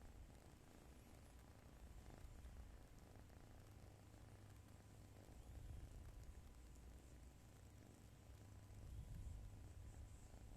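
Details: Sleeping white cat cradled in its owner's arms gives a continuous low, throaty rumble with a fine rapid pulsing, swelling slightly near the end; faint fabric rustle beneath.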